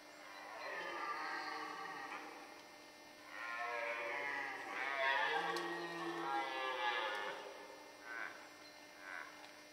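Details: Red deer during the rut in the Forêt de Chaux, Jura, near Dole, France, where males were fighting and hinds were present: drawn-out, hoarse, richly harmonic bellows swell and fade over several seconds, with a quieter pause between roars.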